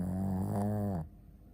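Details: Sleeping Shih Tzu Ponta gives one loud, low, buzzing snore lasting about a second, rich in stacked harmonics, then fades into faint room hiss.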